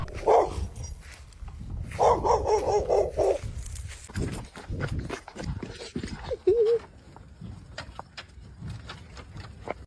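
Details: Dogs fighting, one of them off leash: short bursts of tonal barking and snarling near the start, a longer harsh run around two to three seconds, and a brief whine later, with people shouting and talking urgently throughout.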